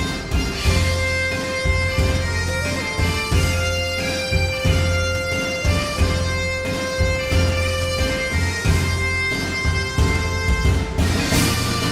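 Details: Bagpipe music with sustained drones and a melody over a steady beat plays throughout, with no animal calls.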